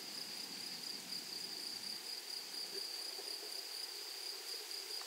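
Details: Grasshoppers singing in a flowery meadow: a steady, high, shrill whine held without a break, with a faint pulsed shimmer above it and a soft rustling background.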